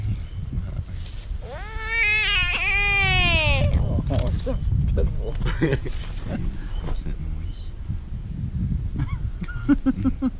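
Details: Hand-caught American bullfrog screaming: a loud, rich, harmonic cry of about two seconds that starts rising and then falls. Voices talk over and after it, with outdoor rustling.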